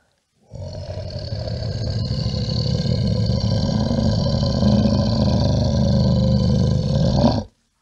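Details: Bear roaring in one long, continuous, low guttural bellow of about seven seconds, rough and grating throughout, swelling slightly near the end before stopping abruptly.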